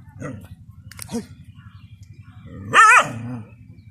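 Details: Dogs fighting a water monitor in a village field: two short low barks, then a loud wavering high yelp near the end, over a steady low rumble.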